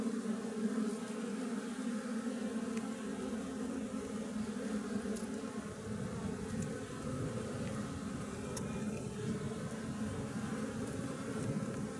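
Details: Apis mellifera, a wild honey bee colony living in a tree, gives a continuous buzzing drone. From about halfway through, a deeper rumbling noise joins the steady hum.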